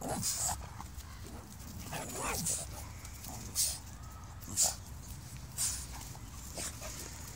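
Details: Boston Terrier barking with a ball held in his mouth; short, muffled, broadband barks burst out irregularly about once a second, with quieter snuffling and faint background noise between them.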